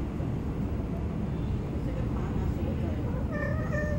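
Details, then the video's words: A cat beneath a car during mating gives one brief, bright, tonal cry with strong overtones near the end, after several seconds of a constant low rumble. "Naughty Cats Under My Car"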